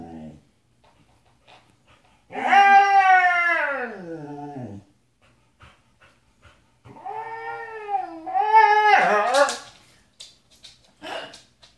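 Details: Sasha, a pet Siberian Husky, sings in two long howling phrases. The first glides downward; the second wobbles upward into a higher, strained cry, with a person's voice and small clicks and knocks in between.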